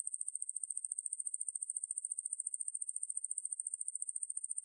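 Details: High, piercing pulsed buzz of a wangmaeburi katydid, roughly twelve rapid, regular ticks each second running without pause; quiet background.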